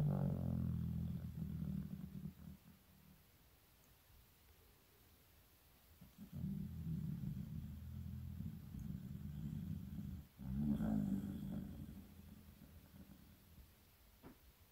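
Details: Elderly 15-year-old Shiba Inu named Shizukun, asleep in winter, producing deep rasping snores in drawn-out breaths of two to four seconds separated by quiet stretches of soft breathing.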